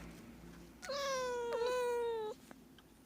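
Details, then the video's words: One sustained, steady meow of a domestic cat lasting about one and a half seconds, slightly dipping then rising at its close; used to make cats come over. Quiet room tone around it. "Cat meowing sound effect : to make cats came to you"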